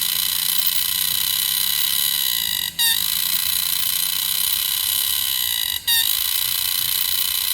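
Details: A green cicada at Bukit Timah Nature Park gives a loud, steady, shrill mate-attracting buzz, broken by two brief pauses.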